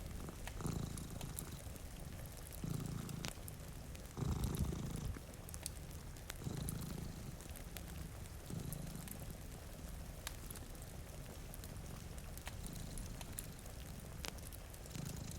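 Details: Deep rhythmic purr from cats sleeping in front of a rainy window, each breath cycle swelling about every two seconds, louder near the middle, over snapping fire crackles and gentle rainfall.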